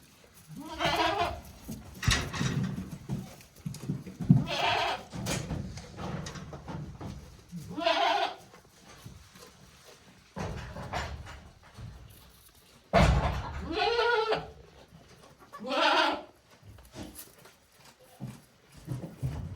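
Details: Newborn goat kids, one day old, at Yoshigake handmade goat farm on 17 April 2024, bleat about five times in tremulous, wavering cries spaced a few seconds apart, with low thumps and rustling in a small indoor space.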